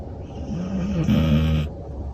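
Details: Hana, a red-and-white female Border Collie born June 2022 in Japan, snoring in deep sleep, worn out after a two-hour drive each way to a training class. A low, voiced, slightly wavering hum lasts about a second over a steady background rumble.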